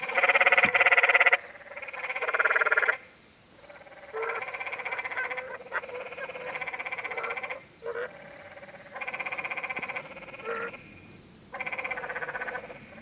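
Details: Along the Many Pools Trail in Zion National Park, Utah, canyon tree frogs trade rasping, pulsed bleats roughly a second long, opening with one loud close call, then a series of slightly softer calls in turn.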